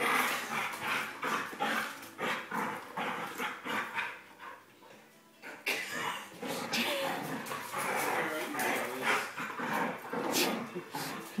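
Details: Male Border Collie growling and barking in rough play with a person, who took the place of other dogs when he was a puppy; dense bursts of snarling play noise, with a woman speaking and laughing over it.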